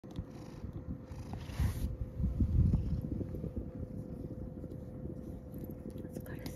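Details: Rescued male domestic cat, born spring 2019 by estimate, in Shiga, Japan, has its collar removed at dinner time; low, steady rumbling purr throughout, with a woman speaking softly nearby.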